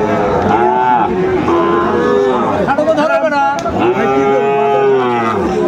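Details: Sahiwal bull at a cattle market in Cumilla, Bangladesh, on 1 October 2024: long, low, drawn-out moos with rich harmonics rise and fall across the clip, over steady market crowd chatter and a man talking.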